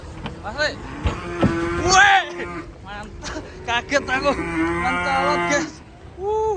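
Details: Agitated, raging cattle: several loud, harmonic moos and bellows overlap through most of the stretch, some bending sharply up and down in pitch, with brief pauses and a final rising call at the end.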